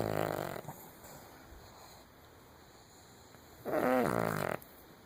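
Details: A sleeping Cavalier King Charles Spaniel snores indoors: a rough, buzzy snore at the start, a long quiet pause, then a louder rasping, gurgling snore near the end.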